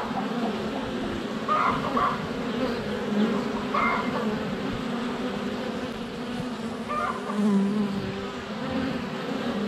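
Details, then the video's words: Close to a beehive entrance on a sunny February day, honey bees fly constantly around a GoPro Hero 7 Black: a steady low buzz carries throughout, broken by a few short clucking calls from chickens. "4K Honey Bees - ambient video and audio"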